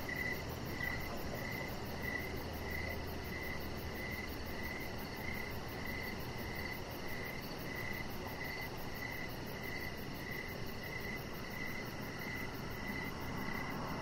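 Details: Short repeated chirps from crickets on an evening deck, steady and slightly uneven in spacing, roughly one and a half per second, set against continuous low ambient noise.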